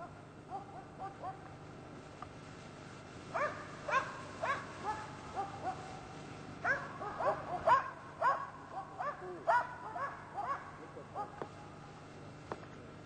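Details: Karelian Bear Dog hunting a European brown bear: faint, higher yelps at first, then loud, harsh barks in rapid clusters, some strained and whining, fading to a few isolated barks, with a low steady hum behind.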